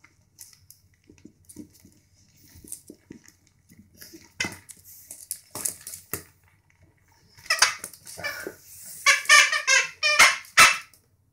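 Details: A young Boston Terrier puppy gives short, high play yips and squeaky growls while playing, among scattered clatter.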